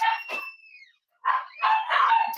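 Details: Twenty-five-day-old Cavalier King Charles Spaniel puppies during a morning of first puppy mash and potty training; a thin whistled whine slides downward and fades, then after a short silence come harsh, wavering squealing cries.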